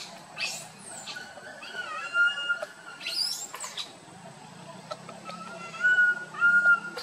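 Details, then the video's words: Tiny monkey crying loudly while wandering with its group: drawn-out, clear whistled cries, steady in pitch with slight dips, given in several separate bouts over soft background rustling and a few sharp clicks. "tiny monkey Boston walk wandering his group try crying loudly call"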